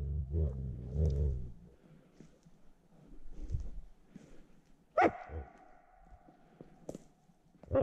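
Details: Wild wolf caught in a noose snare trap, attacking and barking during capture for later release. Low rumbling growls open the recording, then a sharp, harsh tonal bark-yelp bursts out near the middle, with scattered clicks and a final loud burst.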